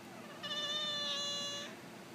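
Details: Devon Rex cat reacting to sneezing, giving one drawn-out harmonic meow lasting over a second, steady then slightly rising in the middle, against a low background hiss.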